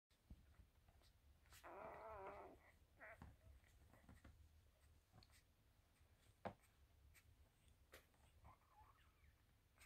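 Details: One-week-old Havanese puppies from Aldo and Essi's litter, indoors: a single wavering, squeaky whine lasting about a second, then a few shorter faint squeaks among soft clicks and rustling in a quiet room.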